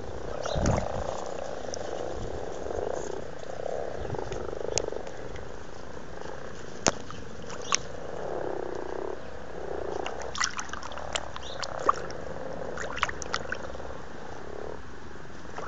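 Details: Amorous frogs in a pond in Blarney, County Cork, Ireland, February 2012, give low purring croaks in overlapping bursts through the whole recording, with a few sharp clicks and splashes scattered across the latter half.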